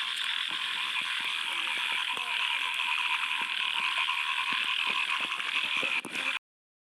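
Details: Many frogs calling from a small field lake at the first rain, producing a steady, rattling, ratchet-like chorus of quick croaks with scattered sharper clicks, ending abruptly.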